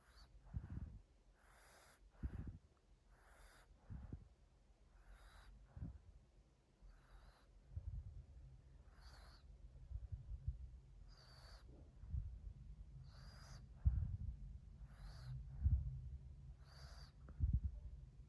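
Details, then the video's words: Mila, a female French Bulldog, sleeping under a chair and snoring loudly, recorded 2 March 2021: deep rumbling snores repeat roughly every two seconds, each inhale a low buzzy rasp, with quiet breathing between them. "Little snoring zombie frenchie - Mila"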